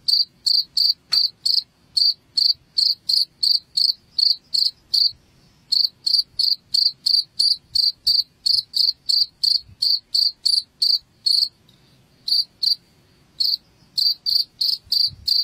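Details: Insistent cricket chirping intended to scare rats away from a house; long runs of shrill, evenly spaced pulses, around three a second, broken by a few brief gaps near the end.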